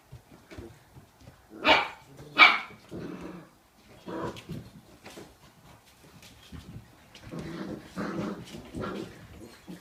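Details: Six-week-old Pharaoh Hound puppies at play with an adult female indoors; two sharp loud barks early, then softer yips, growls and grumbling vocalisations in uneven bursts.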